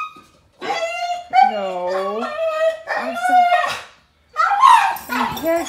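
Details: Thor, a German Shepherd Boxer mix barred from walking after surgery, talks back with loud, drawn-out howling whines, bending up and down in pitch, in two long phrases with a short silent gap, as a person speaks to him.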